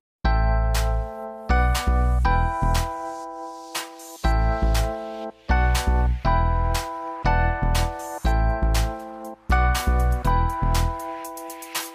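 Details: A bright, chiming keyboard tune plays in repeated bursts of notes with short pauses between them.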